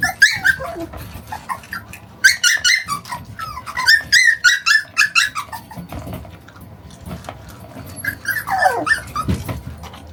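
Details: Shiba Inu puppy, 41 days old, playing tug-of-war with its owner and shaking its head hard; a run of short, high yips and squeaky whines in bursts, with a falling whine near the end and rustling handling noise underneath.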